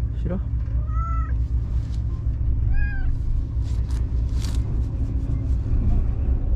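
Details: Shiro, a white stray cat living among the tetrapods, back and lively after being gone all day, gives two clear, rising-then-falling meows about two seconds apart over a steady low traffic rumble and a woman's voice.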